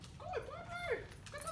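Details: Five-month-old Labrador Retriever puppy giving high, wavering whines and yelps that rise and fall in short bursts, with faint background noise.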